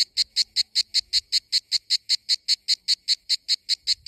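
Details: Summer cicada in Greece giving very regular high, hissing buzz pulses, close to five each second, clean and loud with little else heard.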